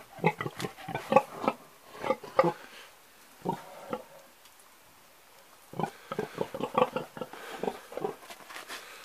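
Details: Old pig grunting in short bursts: a cluster of quick, rough grunts, a couple of single grunts after a quiet gap, then another lively series of snorty grunts.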